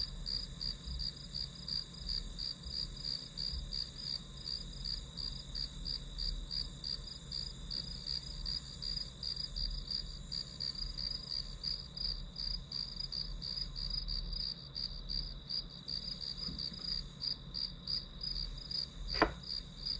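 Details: Steady high-pitched pulsed chirps from grass insects run throughout, nearly three per second, beside a continuous high tone; a single sharp click sounds near the end.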